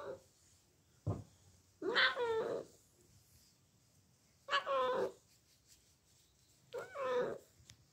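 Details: Bengal cat indoors giving three stretched, wavering meows roughly two to three seconds apart, with a single dull thump before the first and a quiet background.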